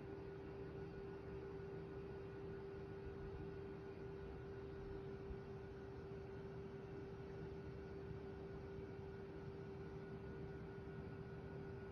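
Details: No animal voice is heard, only a steady low hum of machinery with a constant tone and faint broadband hiss.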